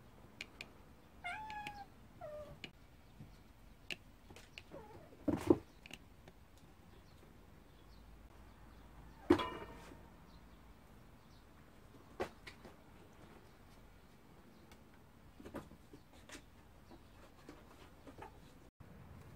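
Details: Several pet cats, among them Nuri, GGORI and Dari, at home; one gives a short, faint, wavering meow early on, followed by scattered knocks, thumps and clatter, with long quiet gaps between them.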